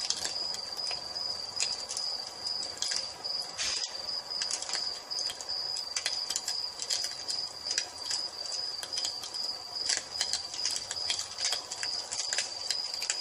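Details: Crickets in an evening nature ambience beside a fireplace, a steady high trill running unbroken under frequent sharp crackles and pops from the burning fire.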